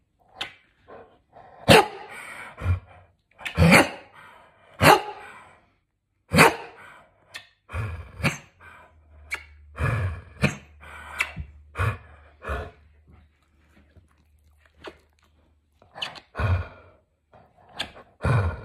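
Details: Seventeen-year-old senior male dog, indoors, protesting as he is kissed; short gruff bark-like bursts and grumbles come in irregular clusters, interspersed with sharp smacking clicks and a faint low hum in the room.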